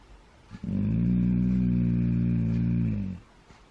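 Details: Siberian husky giving a low, steady growl-like grumble that opens a group howling session, held for about two and a half seconds at an even pitch before stopping abruptly; quiet room otherwise.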